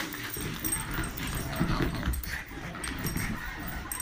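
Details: Pet pugs playing together, giving a rapid run of low, gruff barks and yips mixed with whimpering sounds over steady scuffling noise, with a person's voice nearby.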